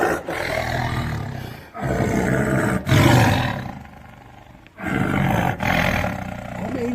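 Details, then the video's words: Tiger roaring while animals named Sienna and Enzootjie are called to come and eat. Deep, rough, rumbling bursts of sound about a second long, broken by short pauses, with a lull in the middle. "Tiger Roar sound in forest"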